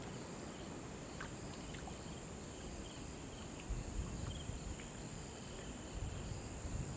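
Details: Near a river, crickets sustain one even, piercing trill while running water roars low beneath it; brief faint chirps and clicks appear early, and water surges grow louder toward the end.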